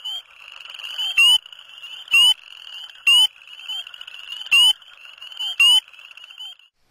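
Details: A spring peeper calling from a shin-deep flooded farm field in spring, filmed in low-40s °F cold, gives loud, piercing, upslurred peeps about once a second over a faint background chorus.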